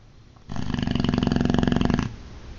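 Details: Sleeping Boxer dog snoring loudly indoors: one long, rattling inhaled snore of about a second and a half, a rapid buzzy flutter with low rumbling undertone.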